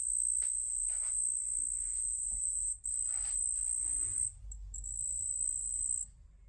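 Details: A cricket, possibly a collared ground cricket kept as a pet, gives a steady, shrill, high-pitched trill that pauses briefly now and then.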